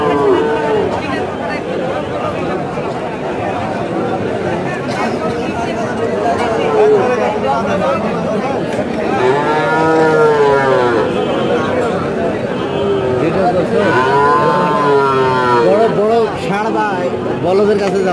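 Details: Bull calves for sale at Chowbaria cattle market, Manda, Naogaon district, recorded 14 September 2018; drawn-out, wavering moos rise above constant crowd chatter and talking, with the clearest calls around the middle and near the end.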